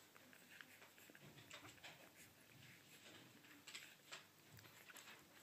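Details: Newborn Yorkshire Terrier puppies, 0 weeks old and in a litter alongside Shih Tzu puppies, make soft, scattered squeaks and wet suckling noises while feeding.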